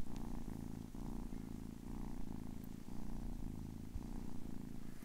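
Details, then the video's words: A 10-week-old kitten purrs close up, a low steady rumbling purr that pulses in even cycles of about half a second, alternating breathing in and out, with no other sounds. "10 weeks old kitten purring"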